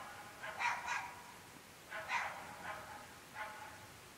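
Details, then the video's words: Several distant barks from dogs barking late at night, 11.30 pm, in an extremely rural UK location: two quick barks, a pause, then three more spaced barks, rough and mid-pitched over a quiet background. "Incessantly barking dogs"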